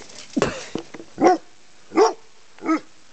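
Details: Chesapeake Bay Retriever barking at a big black snake after cats had played with it: soft scuffling sounds, then three short, clear barks about three-quarters of a second apart.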